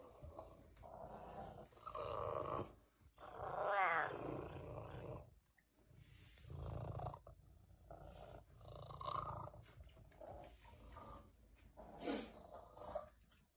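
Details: Cervesa, a sociable female house cat that purrs so much she often starts to cough, gives a loud, rough purr in swelling breath-length bursts separated by brief pauses, with a short rising squeaky note near the middle.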